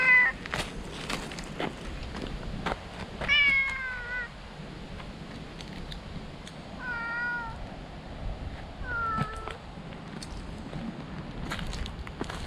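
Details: Stray cat resting in tree shade, crying out loudly with joy on seeing a familiar person: a series of drawn-out, wavering meows, several bending upward then falling, spaced a few seconds apart over steady outdoor background hiss.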